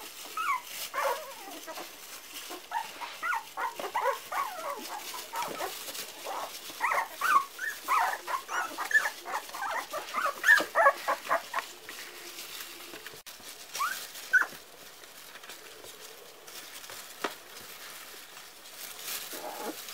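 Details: Four-week-old Parson Russell Terrier puppies fill the first half with a dense run of short squeaky yips and whines, then fall quieter with only occasional whimpers and soft shuffling sounds toward the end.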